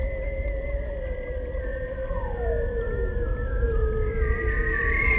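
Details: Arctic bearded seal, a very vocal species, whistling underwater: long steady tones drift gently downward while one clear whistle sweeps steeply down across them, ending with a rising note, over low rumbling noise.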